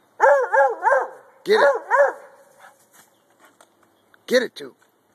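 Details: Male Treeing Walker Coonhound treeing: two quick bursts of paired arched barks, then faint speech, then a final double bark.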